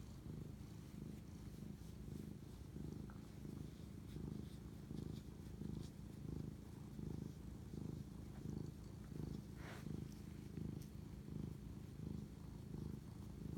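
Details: Close, steady purring from a domestic cat bonding with its owner late at night on March 25, 2019; low rumbling purr pulsing regularly through each breath cycle, with occasional light taps and rustles.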